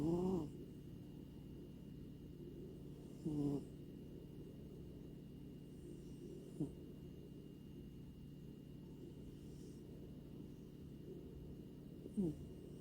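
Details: Asleep at home in Maui, Hawaii, Luffy, a male grey American Shorthair, snores softly: four short, low, wobbling snorts spread over about thirteen seconds, with quiet steady hum between them.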